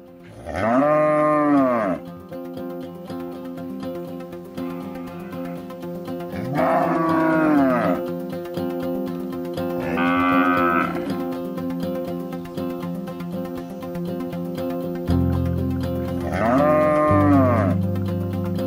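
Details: A cow moos in four long, drawn-out calls that rise then fall, spaced several seconds apart, with steady music playing underneath throughout.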